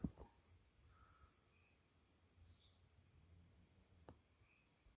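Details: Crickets at night on a country property in Itariri, Brazil: high pulsed trilling fading after two seconds, leaving a steady high tone, with a few soft chirps and clicks from other night animals.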